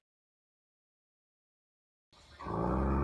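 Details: Two seconds of silence give way to a low, sustained musical tone, with no animal voice present.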